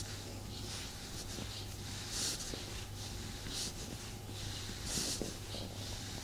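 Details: Male house cat purring while being cuddled by its owner, a low steady rumble beneath repeated breathy hissing rustles, roughly every couple of seconds.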